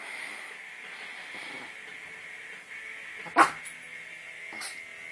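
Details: Chihuahua facing a pit bull: one sharp, loud bark after about three seconds of quiet, followed a second later by a fainter short yip, over a steady high-pitched hum.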